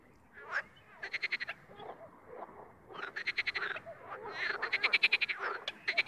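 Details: Separate bursts of rattling, pulsed croaks from wild frogs, about five in number, stand out over a quiet background, with softer calls between them.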